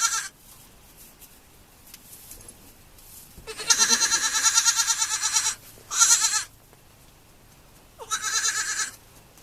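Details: Young farm goats calling with wavering, shaky bleats: a long two-second cry, then a short sharp one, then a final bleat about a second long, with a quiet background between calls.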